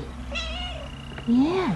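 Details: A 3-month-old Siberian cat kitten gives one clear meow. It starts low, rises, then falls away. Before it comes a fainter, higher tonal sound, over a low indoor hum.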